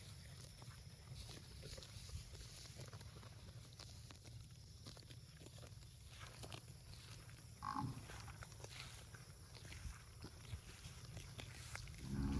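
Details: Cows in a park mooing: one short, low, harmonic moo midway through and another starting right at the end, set against a steady low rumble with frequent faint clicks and ticking noises.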